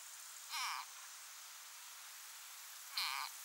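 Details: Frog fighting desperately against being eaten by a grass snake only slightly larger than itself. Two short, shrill harmonic screams, about a third of a second each and roughly two and a half seconds apart, over a steady hiss.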